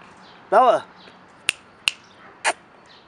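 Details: Bella, a female French Bulldog about eight months old, playing during a fast chase: one short, tonal, harmonic yelp-like bark, followed by a few sharp clicks and taps.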